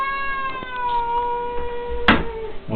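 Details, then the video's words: Angry domestic cat named Silvik attacking its enemy: a long, steady, drawn-out yowl with a slight downward slide, held for about two seconds, followed by a sharp knock and a person speaking Czech softly. "angry cat silvik"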